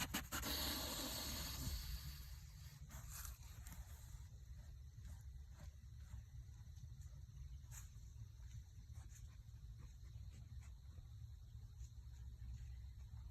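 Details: Whitetail buck on a deer farm giving a snort wheeze: a loud, harsh, breathy hissing burst lasting under two seconds at the start, then a quieter stretch of low rumbling background noise with scattered faint clicks.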